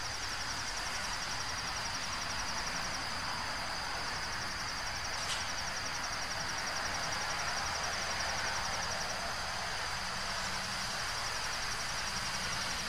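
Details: Insect in a nature relaxation compilation: a steady, finely pulsed high trill runs unbroken throughout, set against a loud, constant rushing background noise, with one brief click midway.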